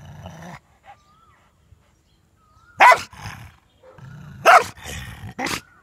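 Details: German Shepherd angrily protecting his ball: a low growl at first, a pause with faint whistling squeaks, then sharp explosive barks and snarls rising out of a continued rumbling growl.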